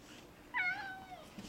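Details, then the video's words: Indoors, a four-year-old male cat excited about a lizard gives one quick meow that rises then slides down, under a second long. "Cat talks about a lizard"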